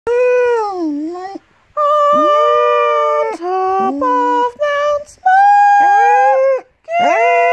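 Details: An 8-year-old female Golden English Cocker Spaniel 'sings' along with her owner in a morning sing-along, giving long, tuneful howls that slide down and up in pitch; she loves the high notes.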